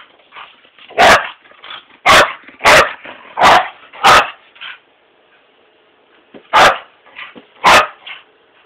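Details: Ferocious Mini Pit dog barking: a rapid run of five sharp barks, a quiet pause, then two more barks.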